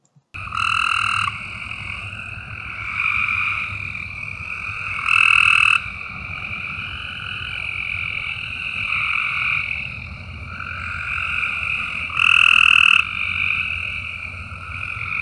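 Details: Cope's gray treefrogs near Moccasin Bend, Chattanooga, Tennessee, give harsh, buzzy, gargling trills one after another. The species calls spring through fall and is best heard on rainy summer evenings.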